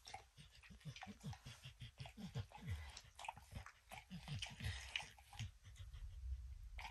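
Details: Dog named Max licking and snacking on peanut butter and kibble stuck in an orange mat, in a small room; quick repeated wet laps and soft chewing clicks, steady throughout.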